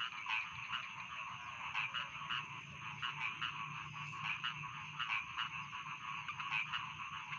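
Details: Chorus of rice field frogs, with loud rasping croaks repeating roughly every second over a constant buzzing background of many other frogs and a faint steady high tone.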